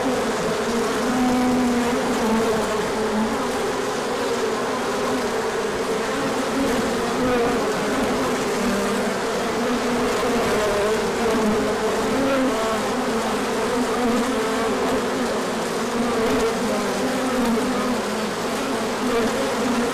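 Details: Bees out in large numbers for an orientation flight when the sun appeared after colder weather, March 2024, pollen coming in; twenty seconds of unbroken dense humming, tones gliding up and down as bees pass.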